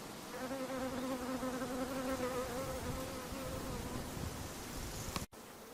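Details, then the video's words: Flying mosquito giving a continuous nasal buzzing whine with clear overtones, strongest in the first two seconds, then thinning and fading, with a sudden break just after five seconds followed by near quiet. "Mosquito - بعوضة"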